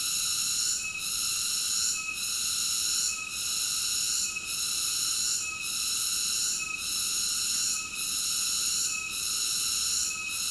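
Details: Cicada producing a sustained high buzzing song with a steady throb, the loudness dipping briefly just over once a second throughout. Background otherwise quiet.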